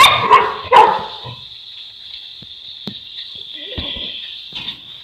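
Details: Boerboel, a South African Mastiff kept in Egypt, barking twice loudly at the start, followed by faint thuds and a steady high-pitched background tone.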